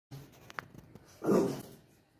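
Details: French Bulldog barking at its reflection in a mirror indoors, in a small room: after a second of soft shuffling comes one short, harsh, loud bark, then quiet.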